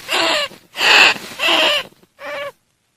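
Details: Greater bandicoot rat calls used as a lure sound: four harsh, noisy squealing bursts of about half a second each, separated by short pauses, with a steady tonal band running through each burst.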